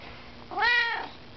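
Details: Siamese cat, kept as a pet indoors, meowing while talking with its owner: a single drawn-out, rising-then-falling meow lasting about half a second, rich in harmonics, in a quiet room.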